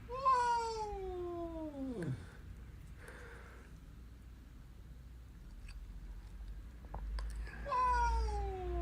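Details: Hungry indoor cat asking for food: a long descending meow that drops into a low groan, a quiet pause with faint household sounds, then another drawn-out meow starting near the end.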